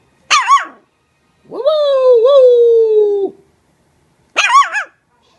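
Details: A Maltese puppy learning to bark gives two short, high yips around a long, drawn-out whine.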